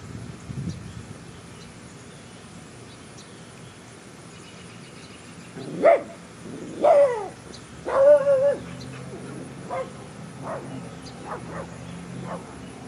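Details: A female Great Dane gives a few short, sharp barks, some with a slight whine, against a quiet background.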